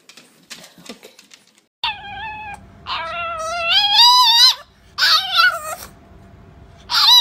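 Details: A French Bulldog gives drawn-out, whiny yowls that rise and waver, like a dog trying to talk, apparently while being offered a snack.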